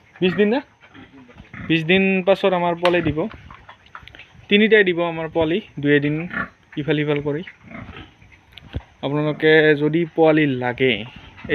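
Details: Yorkshire and Hampshire pigs on a farm in Assam give loud, steady-pitched squealing grunts in bursts of about half a second to a second, separated by brief pauses, some grouped in quick pairs.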